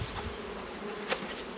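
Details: Italian honey bees in a crowded hive during an autumn inspection, giving a brief, continuous droning buzz with one soft knock partway through.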